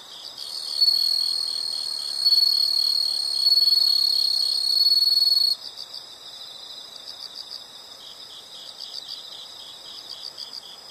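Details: Insects calling in a nature recording: a loud, steady high-pitched trill with bright harmonics for about five seconds, then a softer pulsing chirp rhythm of roughly four beats per second continuing underneath to the end.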